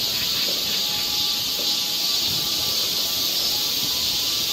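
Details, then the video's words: Along a Korean summer forest trail in Seoul, cicadas fill the air with a shrill, constant electric-sounding hiss, unchanging over the short stretch, with faint soft thumps below. "cicada sound"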